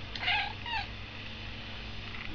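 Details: Sooty, a pet cat waiting to be fed, gives two short harmonic meows in quick succession at the start, followed by a quiet room with low background hum.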